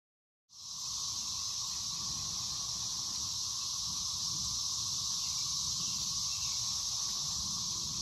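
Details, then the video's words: Thirteen-year periodical cicadas of Brood XIX emerging at Waxhaw, North Carolina, on 4 May 2024: a dense, unbroken droning chorus that starts abruptly and holds steady, with an intense high-pitched hiss layered over a lower whirring band. "Sounds of the Cicadas"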